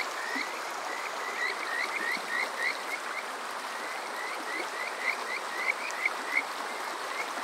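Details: Kajika frogs calling on a summer night at Yokoze in Chichibu, Saitama, Japan, recorded on a TASCAM DR-05X: high, sweet rising whistles repeated in quick runs of several notes, over a steady bed of flowing water.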